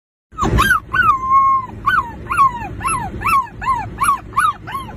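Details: Puppy making a run of high, whining yelps. After one long, level whine come about ten short arched cries, each rising then falling, spaced roughly every third of a second. A soft low rumble sits beneath.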